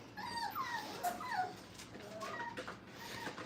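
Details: Several five-week-old Brittany puppies at a training kennel whine and yip in play, with thin, sliding whimpers that rise and fall, along with scuffling and soft clatter from a small indoor space.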